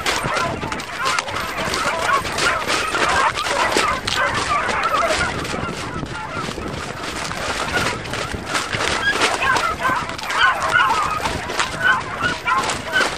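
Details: Beagle pack on a roe deer hunt with sticks in France, giving tongue together: a steady tangle of overlapping high bays and yelps, no pauses, with rustling background noise.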